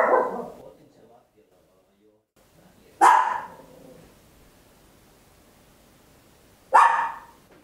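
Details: Tiny Papillon dog barking very loud at home, recorded on an Olympus LS-11: three abrupt, bright barks about three to four seconds apart, each sharp at the start and fading quickly into a quiet room.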